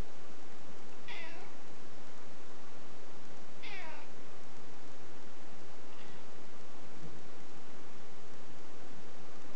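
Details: Nervous house cat Niko meows twice in quick descending calls, with a fainter third meow trailing after, against a constant hissy background.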